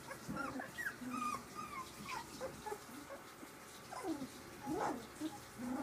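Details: Three-week-old puppies playing together, giving a string of short high yips and thin whimpers, some rising, some falling, several overlapping squeaks in quick succession with soft rustling between.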